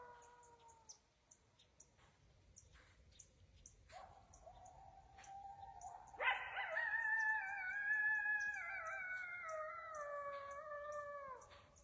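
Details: A coyote howls close by at dusk in the woods near a deer stand: a long, wavering howl that jumps up sharply, then slowly slides down in pitch.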